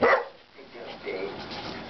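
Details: Blue Doberman Pinscher giving a single short, sharp bark on command while performing tricks, followed by quieter room noise and faint voices.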